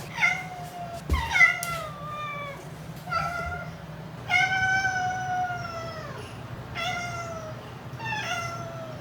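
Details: A house cat meows repeatedly indoors, a series of clear drawn-out meows, each sliding down slightly in pitch, spaced about a second apart, with a low steady hum underneath.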